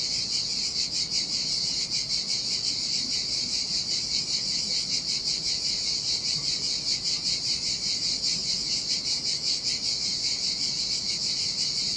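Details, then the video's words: Chorus of cicadas in the heat by a lonely beach in Sardinia, their shrill continuous buzz pulsing unevenly, roughly once a second, above a faint wash of ocean waves. "Ocean Waves & Cicada Sounds - The Most Relaxing Waves Ever - Cicadas by the Sea"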